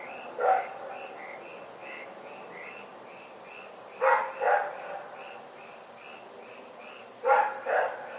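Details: Dog named Rex barking at night on February 27, 2018: one single bark, then two double barks a few seconds apart, set against a regular high chirping in the background.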